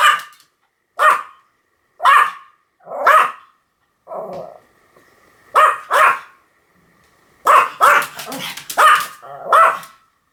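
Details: A Pomeranian gives a run of high, clipped barks, then a low grumbling growl, then a rapid volley of four or five yaps near the end.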